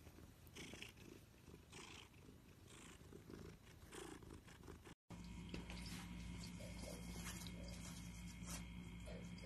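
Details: Domestic cat purring, a rhythmic rasping pulse about three times a second for five seconds, then an abrupt cut to a steady electrical hum with faint purring underneath.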